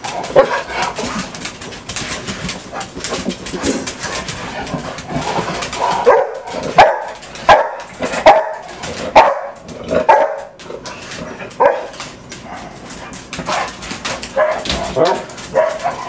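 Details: Several of six domestic dogs barking through a typical morning at their home; a long run of irregular barks, sometimes overlapping, about one or two per second, with music and a person talking in the background.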